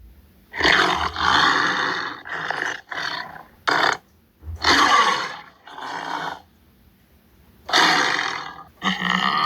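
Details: Tiger growling: rough, raspy bursts of varying length, some under a second and others nearly two, separated by short pauses and a longer silent gap midway.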